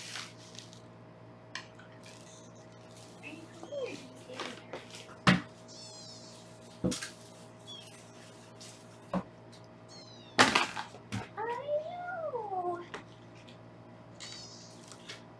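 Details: Foster kittens on a live kitten cam in Los Angeles, recorded while being weighed indoors: scattered short mews, one longer wavering meow rising then falling near the end, amid clicks, knocks and handling noises.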